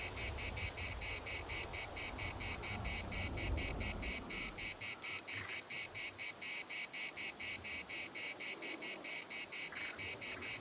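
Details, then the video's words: Cicadas singing in the municipal park of Larnaca: a loud, buzzy pulsed chorus, about two pulses per second, steady throughout, with low wind rumble in the first half and a faint bird call near the end. "CICADAS at the municipal Park Larnaca"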